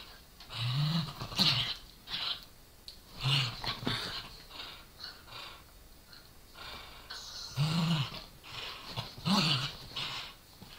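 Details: Two small dogs, a Corgi and a Dachshund, tussle over a toy in play; the Corgi snarls and growls, the Dachshund barks. Deep throaty growls rise in four main bursts, separated by quieter breathing and scuffling.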